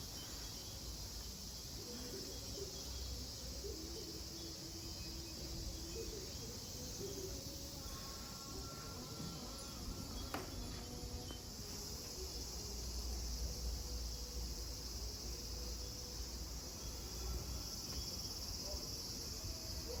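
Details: At Kozoji Temple (Takakura Kannon) in Yana, Kisarazu, Chiba, Japan, a steady, shrill hiss of cicadas fills the air, unbroken from start to finish.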